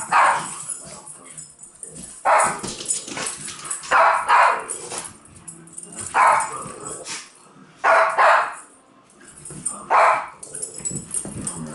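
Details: Dogs chasing a laser bark in short, loud bursts roughly every two seconds, each bark sharp and mid-pitched, with quieter rustling and movement between them.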